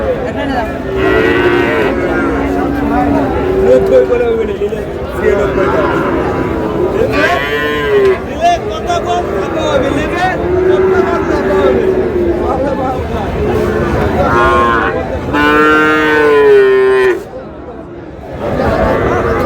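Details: {'caption': 'Cattle at Raniganj weekly market in Dinajpur on 30 July, Friesian and crossbred bull calves for sale: several long, wavering moos come one after another, with a loud rich bellow near the end, amid busy crowd noise and haggling.'}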